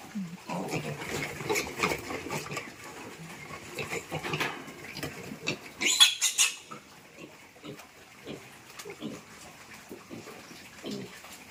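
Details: Grunting piglets during a move to fattening pens: dense, rough grunts in the first half, a brief loud clatter, then quieter, scattered short grunts.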